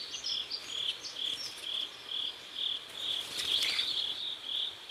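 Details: Crickets calling at sunset along a river in South Korea, evenly spaced shrill chirps about twice a second, with faint high bird notes early and a brief louder rustle partway through.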